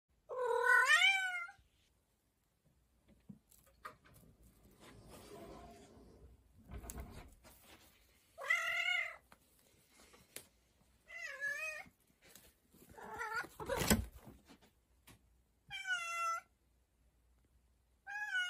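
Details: A cat exploring a storage area indoors gives a series of clear meows, each a short wavering tone that rises then falls, about seven calls spaced one to three seconds apart, with rustling and a loud thump between them.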